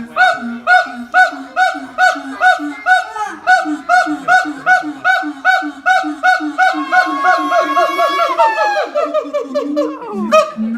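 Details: Siamang parents singing a high and low harmony, with their silent infant clinging to its mother; the song carries up to 4 km. Loud, barking hoots repeat about twice a second, then a long rising, wavering call climbs into shrieks near the end.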